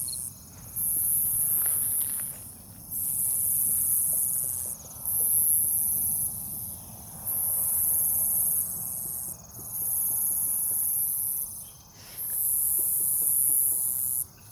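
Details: Cicadas at night in a forest near a farm in Omaha, Nebraska, 08 03 2021: a high, hissing buzz swells for about two seconds, then drops briefly, repeating steadily. Low rumbling and footstep-like thuds underneath.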